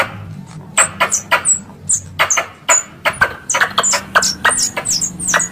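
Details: Squirrel calls played as a hunting lure: sharp broadband chips, each topped by a high, quickly falling squeak, coming in irregular bursts, sparse at first and then denser, over a faint low hum.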